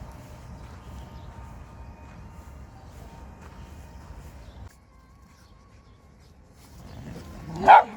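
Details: Dog from a pair of pets, a schnauzer and a West Highland White Terrier, recorded 4 January 2020; a low indoor hum runs for about seven seconds, then a single sharp, loud bark bursts out near the end.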